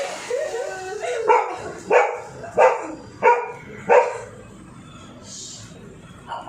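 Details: Dog frightened by the sound of a drilling machine, letting out five sharp, loud barks at a steady pace of about one every two-thirds of a second, preceded by softer whining yelps, with a short hiss near the end.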